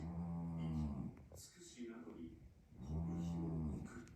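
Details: Scottish Fold cat named Namako snoring indoors, said to sound just like a human old man; two long, low, buzzy harmonic breaths about three seconds apart, with a quieter, noisier gap between them.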